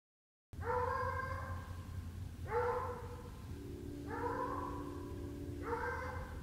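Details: Treeing Walker Coonhound out coon hunting, giving four long, drawn-out bawling bays spaced about one and a half seconds apart, each a steady ringing howl with a low rumbling hum underneath.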